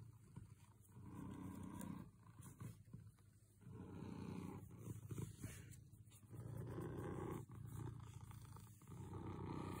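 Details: Very close purr from a content house cat: a heavy, low, almost continuous rumble that swells and fades with each breath, loudest toward the end.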